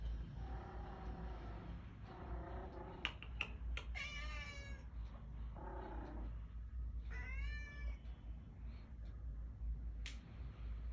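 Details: Kitten, newly arrived and afraid of the resident cat, calling to be let into a room out of the cold; two clear harmonic meows, the second rising then falling, amid lower muffled cries and steady low background rumble.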